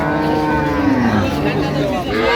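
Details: Dairy cow of an improved breed at Ambari Haat cattle market, Dinajpur, 15 September 2025: one low moo that slides down in pitch midway, over a steady hum of market chatter and men talking.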